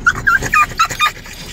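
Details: French Bulldog whimpering as its owner talks about heading to the dog park; five quick, thin, high whining squeaks in the first second, then quiet.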